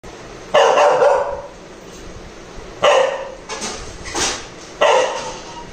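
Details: Angry Labrador Retriever puppy barking after being shown a knife: three loud, harsh single barks about two seconds apart, with a couple of softer yips between them, indoors.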